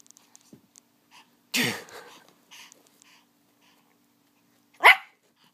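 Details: Five-year-old female Pomeranian playing with her purse indoors lets out a snorting, sneeze-like burst, then after a quiet gap one short, sharp high yap.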